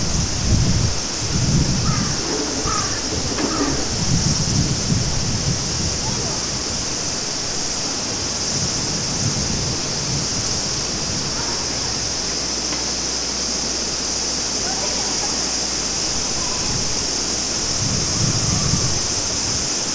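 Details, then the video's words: Continuous high whirring of cicadas on a summer day at Maruike Pond, Mt. Kirishima, Japan, steady for the whole stretch, while clear spring water babbles and gurgles in pulses underneath. "ASMR Summer Sounds in Japan -Cicada & Clear Running Water Stream"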